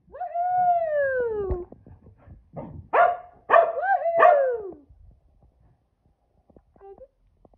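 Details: Boston Terrier and Keeshond, two pet dogs, excited after hearing exciting news: a long drawn, falling howl-like whine, followed by three shorter wavering yelping cries in quick succession, then quiet with faint small squeaks.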